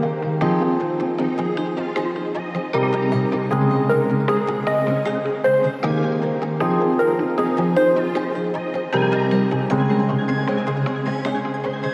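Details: Soft new-age music with sustained tones and gentle chords plays throughout, with no animal sound present.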